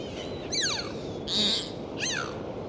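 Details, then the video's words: Three quick dolphin calls underwater: a falling whistle, a buzzy burst, then an arched whistle that drops away, over steady sea noise. "Sound of Dolphins. Full dive 4K"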